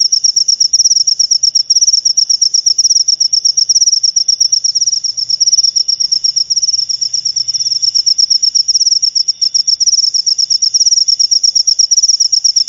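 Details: Cricket chirping meant to scare off rats and attract lovebirds; a dense, high-pitched pulsing trill runs without pause, each pulse sharp and quick, with only faint low rumble beneath.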